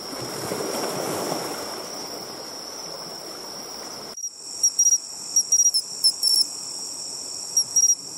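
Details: Bell cricket singing at the seashore: rolling surf for the first four seconds, then short high ringing chirps in quick irregular bursts over a steady shrill tone.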